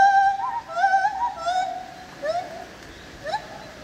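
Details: Opole zoo lar gibbon: smooth, warbling hoots with bright harmonics blur together, then two short upward-swooping notes follow after pauses.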